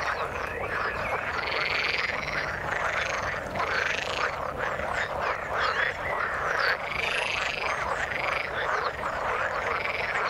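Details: Frogs calling in the water, a dense chorus of overlapping croaks and rapid pulsed notes filling the mid range, with some higher chirping calls and a few whistled notes above, steady and continuous throughout.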